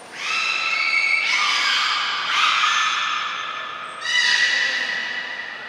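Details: At Port of Nagoya Public Aquarium, a beluga in a short training session, cut short to save food for a later session, 25 July 2021. Three long, overlapping tonal whistles follow one another, each rich in harmonics, the last rising in pitch.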